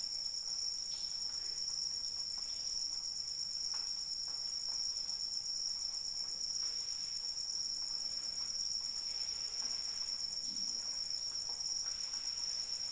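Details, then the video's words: Crickets singing through rainfall, an unbroken shrill trill holding one high pitch for the whole stretch, with gentle rain patter and scattered drips beneath. "Suara Hujan dan Jangkrik Pengantar Tidur"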